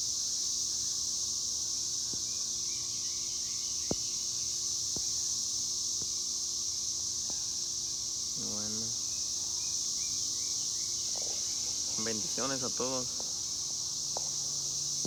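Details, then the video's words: A sustained high cicada buzz runs unbroken under scattered sharp clicks and a few short bursts of human speech toward the middle and end. "El sonido de las chicharras"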